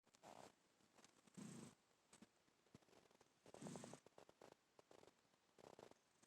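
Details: Black house cat named Peek-A-Boo asleep, snoring softly: quiet breathy rasping bursts repeating about every two seconds in a hushed indoor setting.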